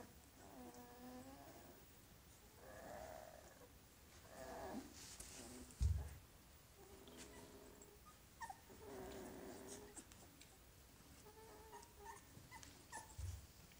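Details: Young Golden Retriever puppies, recorded 25 February 2017, giving a series of wavering, nasal whines and squeals about every one to two seconds, with soft bumps and handling noises.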